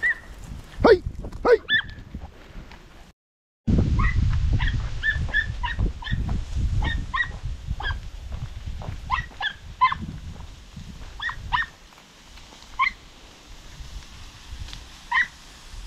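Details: Podenco puppies hunting a rabbit in open countryside: a rapid series of short, high, harmonic yips and whimpers, some in quick pairs, after a loud opening burst, with a brief gap, rustling movement and low wind rumble.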